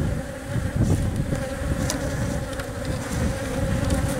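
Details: Honey bee colony tending an egg-laying queen in the hive; a continuous mid-pitched drone over heavy low rumbling and fluttering, with a few sharp clicks and scrapes.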